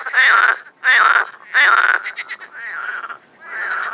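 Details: A frog in an overgrown pond in spring, Moscow region, Russia, 25 May 2021, during mating season under warm sun, gives harsh, raspy croaks roughly one each second, the later ones softer, with human laughter nearby.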